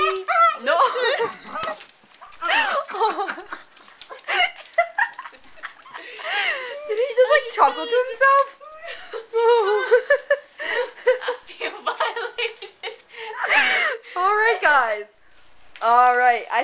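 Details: Half pug, half chihuahua puppy playfully attacking indoors, not angry, making squeaky whining growls and grumbling noises in repeated short bursts at a steady middle pitch, mixed with human talking and laughter in a small room.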